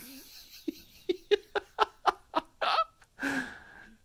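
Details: A person giggles in quick rhythmic bursts and then speaks briefly, with no animal sounds.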